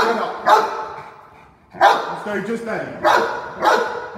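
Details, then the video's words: A Cane Corso barking during a staged home invasion role play: four deep, loud barks spaced irregularly over four seconds, with a man's voice in between. "Cane Corso Home Invasion Role Play"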